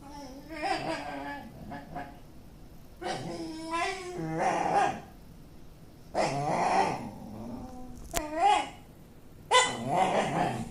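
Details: Pet dog making an unusual, never-before-heard noise, recorded 29 May 2013: repeated wavering, moaning whine-like vocal bursts of one to two seconds, rising and falling, separated by short pauses.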